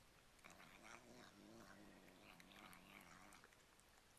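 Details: Domestic cat vocalizing with its mouth full of cat treats, a sound compared to "yum yum yum": a continuous low, wavering, growly hum over about three seconds, rising and dipping slightly, mixed with crunchy chewing noises.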